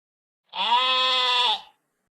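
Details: Sheep giving a single steady, nasal bleat lasting just over a second, held at an even pitch with a slight waver before it cuts off, in otherwise quiet surroundings.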